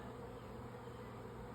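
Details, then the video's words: Honey bees swarming high in the air on May 24, 2024, expected to settle near beekeeping gear; an even, distant low hum persists without pauses. "Honey Bee Swarm # 1 - swarm"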